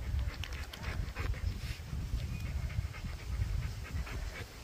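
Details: Cane Corso at a temperament testing ground, breathing in quick rhythmic panting bursts, relaxing after the tests; steady breathy huffs continue throughout with faint background noise.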